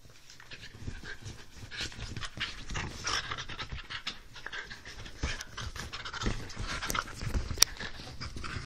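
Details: Two whippets, a three-year-old adult and a seven-week-old puppy, playing rough together: heavy, rapid panting and snuffling breaths run throughout, mixed with scuffling and brushing noises and one brief sharp click near the end.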